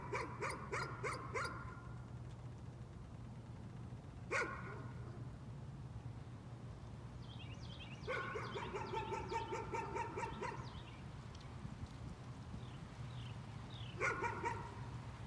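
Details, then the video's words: Repeated nuisance barking by a dog: quick bark series, an isolated bark, then a longer rapid burst, ending with one more bark, all over a low constant hum. "Nuisance barking again."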